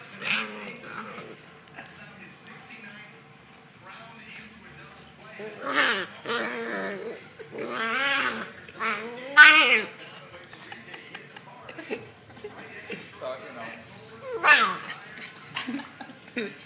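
A Rottweiler puppy gives wavering, high-pitched whines and yowls, with people talking in the background.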